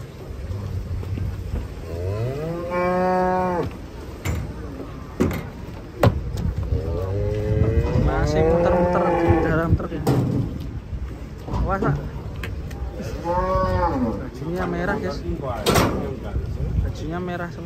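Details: Many large cattle coming down off a truck in a panic, lowing repeatedly: long, bending, harmonic moos at intervals of several seconds, some overlapping, with sharp clatter and knocks between calls and a low background rumble.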